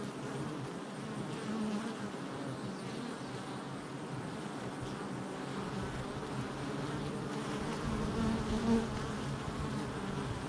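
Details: Honey bees at a hive entrance on July 22nd, 2024: a dense, steady low droning hum from many bees at once, with slight swells in loudness near the end and no other clear sounds.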